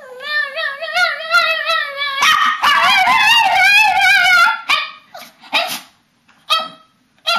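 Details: Papillons and a shih-tzu performing a bedtime ritual in March 2007, chorusing in long wavering harmonic howls that rise and fall, overlapping voices thickening midway, then breaking into short yips near the end.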